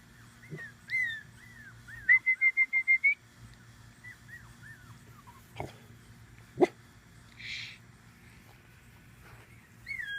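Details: Tibetan Terrier puppies about five weeks old, from Vanille's summer 2015 litter: thin, high whines that bend up and down, then a quick run of six short, even whimpers, with a few sharp knocks and soft rustling behind.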